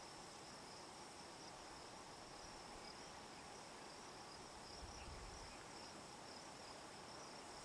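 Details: Hadoa inaudita cicada buzzing on a juniper tree in Picket Wire Canyon, southeastern Colorado, at 4622 ft elevation, around 8 PM on July 9, 2009. A steady, unbroken dry buzz holds at constant intensity throughout.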